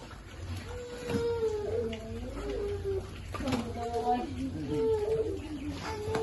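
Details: Hungry baby piglet waiting for its food, uttering clear tonal whining squeals that slide up and down, several in quick succession across six seconds, over a low steady hum.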